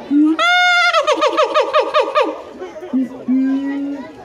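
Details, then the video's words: Siamang at Higashiyama Zoo giving a human-like scream: a short low note, then a loud harmonic wail breaking into a rapid series of pulsed, wavering barks about six per second, ending in flat lower notes. "ああああああぁぁ―！叫ぶ！叫ぶ！#フクロテナガザル # siamang"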